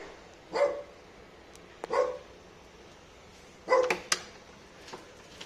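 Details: Bali dog barking, happy to see its owner: three short, sharp barks spaced over about four seconds, with a few clicks and light background noise between them.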